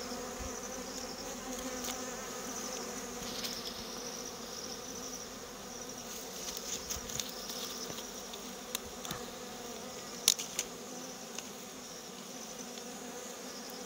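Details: Honey bees buzzing steadily during a wild honey harvest in rural countryside, a continuous droning hum with layered tones, occasional sharp clicks and handling knocks over it.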